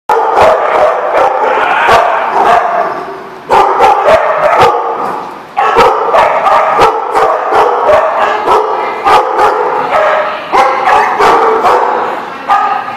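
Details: Many dogs barking together in a busy chorus, sharp overlapping barks repeating rapidly throughout with brief pauses near three and a half and five and a half seconds.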